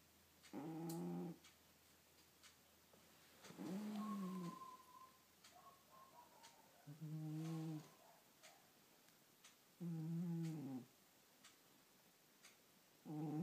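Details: Snoring cat fast asleep indoors, five low harmonic buzzing snores each about a second long, repeated roughly every three seconds, with a faint higher wheeze between some breaths.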